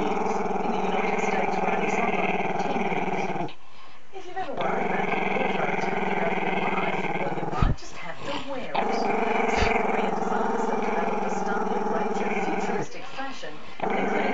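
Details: Chester the Maltese-Shih Tzu pup growls at the camera in long sustained stretches of low buzzing rumble, pausing briefly for breaths around four and eight seconds before resuming each time.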